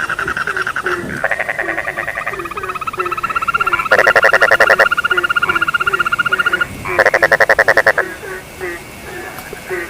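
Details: Frog chorus with quick falling croaks under long, loud pulsed rattling trills that come in bursts, one lasting nearly three seconds, over a steady high drone.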